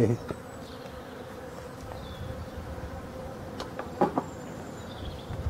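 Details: Colony of honey bees in hive number 6, Brittany, France, at the final winter feeding on 4 February 2021; a continuous low hum, with a few handling knocks at the start and around the fourth second.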